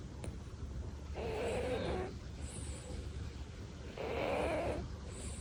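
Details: Sleeping Devon Rex cat named Tori, a pet, gives two soft snores about three seconds apart, each a hoarse, slightly buzzing inhalation near a second long, over a faint constant room hum.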